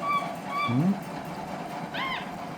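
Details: Capuchin monkey named Lilly eating spaghetti gives two short, clear, level whistles, then one arched, rising-and-falling chirp with bright overtones. A low murmur and steady background hum run beneath.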